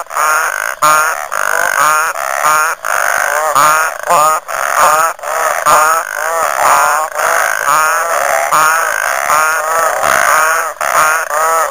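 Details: Frog chorus at Lake Nhambavale, Chidenguele, Mozambique: dense overlapping calls, each a quick run of rising, pulsed, nasal notes, repeating almost without pause and layered into a continuous throbbing wall of sound.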